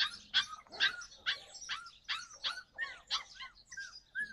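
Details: Yakutian Laika recorded in July 2020, giving rapid high-pitched yelping barks, roughly two per second, each short burst ending in a falling whine-like tail.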